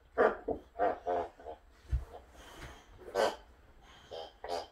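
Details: Boxer dog indoors, one of two boxers, Sammie and Rex, interrupting someone working from home in a small room: a string of short harmonic barking and whining bursts, several in quick succession, then more after a pause, with a voice underneath.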